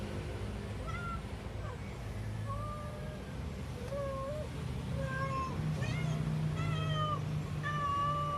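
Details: Pet cat making sounds its owner finds strange, accompanied by unusual movements: about ten short, clear meows spaced roughly a second apart, some bending upward, others dipping, above a soft low background hum.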